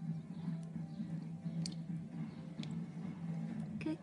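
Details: Quiet indoor room with a steady low hum, soft murmured voices and a few faint clicks, no animal sounds.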